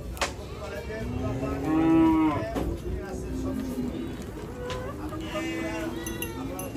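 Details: Cattle being unloaded from a truck at Hazratpur cattle market in the morning. A drawn-out, mid-pitched moo with rich harmonics swells and fades, followed by softer lowing later, over crowd murmur and market bustle.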